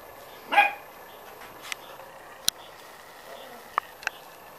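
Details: Corgi puppy, six weeks old, in a litter; a single brief, high-pitched yelp early on, followed by scattered faint clicks and taps in a quiet background.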